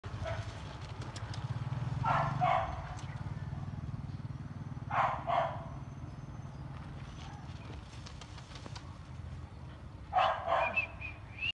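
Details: Phu Quoc Ridgeback, a yellow dog with slanted eyes, barking in three short bursts of two or three loud barks each, spaced a few seconds apart, over a steady low engine-like rumble and faint clicks.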